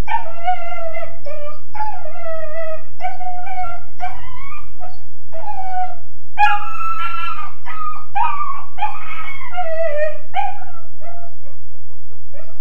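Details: Kennelled Weimaraner puppy, about 13.5 weeks old, howls and whines continuously: many short wavering wails, each sliding downward, packed closely together with brief gaps, some louder and harsher in the middle; low hum underneath.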